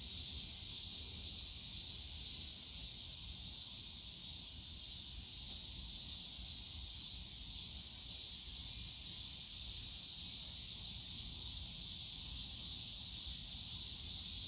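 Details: Many cicadas calling together in a park bamboo grove on a summer day at Yongsan Family Park; the high, hissing drone throbs gently in slow waves, with low distant park noise underneath.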